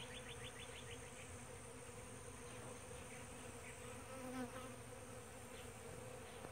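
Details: Mixed bee species nectaring at a powder puff tree at sunrise, heard as an even, low buzzing drone, opening with a brief burst of rapid high chirps and later faint ticking trills, ending abruptly.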